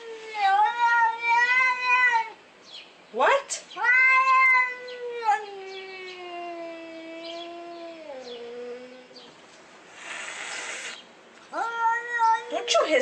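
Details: Angry domestic cat grumbling: a series of loud wavering yowls, some long and slowly falling, others short and sharp, with brief gaps between them and a burst of hissing noise partway through; a person's voice is also heard.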